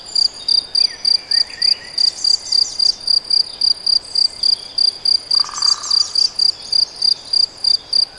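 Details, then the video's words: Cricket in the Debrecen Nagyerdő forest producing a long run of high, pulsed chirps at about four per second, joined by faint distant bird calls. "Tücsök vagy szöcske? - Hangfelvétel a debreceni Nagyerdőben"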